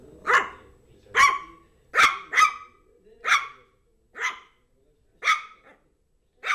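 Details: Zizel, a female Yorkshire terrier, barks while playing with her new mouse toy: eight sharp, high barks at roughly one-second intervals, with a quick double bark near the two-second mark. The room is otherwise quiet.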